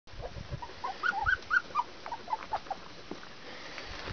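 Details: Border Collie puppies, 19 days old, giving short, high, thin whimpers in a quick cluster of about eight squeaks over two seconds, then fading into quiet background hiss.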